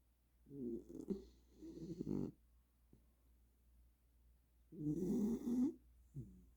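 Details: Sleeping Welsh Corgi, worn out after a burst of energy, snoring in uneven, rattling pulls. Several short snorts run together, then one long, louder snore and a brief final snuffle.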